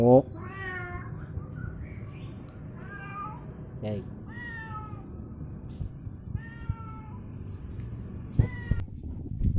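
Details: Domestic cat coming home angry and hungry, giving a series of drawn-out, wavering meows roughly every one to two seconds, some rising then falling, with a person talking nearby and faint music in the background.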